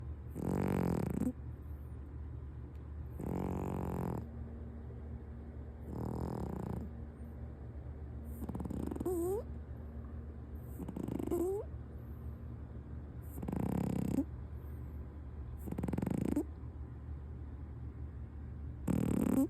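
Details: Domestic cat asleep on a man's lap through a kotatsu quilt, snoring loudly and comfortably; rasping snores repeat about every two and a half seconds over a steady low household hum.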